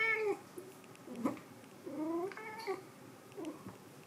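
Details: A white cat gives three drawn-out harmonic meows, the first bending downward, then two rising-then-falling cries close together near the middle, with faint clicks and a quiet room behind.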